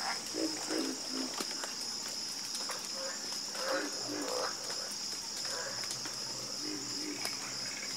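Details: Frogs croaking together in a chorus, with short low pulsed croaks repeating in quick bursts and higher clipped notes overlapping, all over a continuous high-pitched drone throughout.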